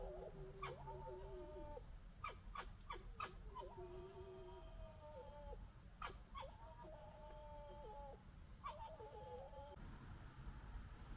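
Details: A red fox (Vulpes vulpes) gekkers during fighting and general disagreement in 2021, mixing sharp clicking bursts with drawn-out, wavering whines.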